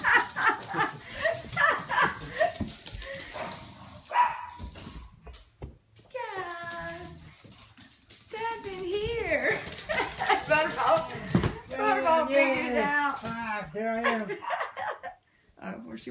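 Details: Pet dog indoors on a bed beside its owner, excited after hearing a notification sound; wavering high whines and yelping howls rise and fall in bursts, mixed with people talking and background music.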